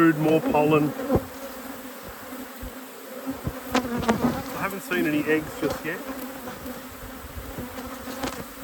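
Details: Steady honey bee drone from an open hive while an apiary is inspected, a constant low hum with soft tapping and handling noises scattered through it.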